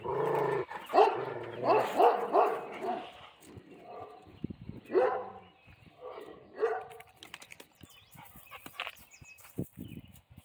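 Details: Central Asian Shepherd Dog barking in loud, harmonic bursts over the first three seconds, then scattered barks near five and six and a half seconds, fading into clattering noises, faint speech and music.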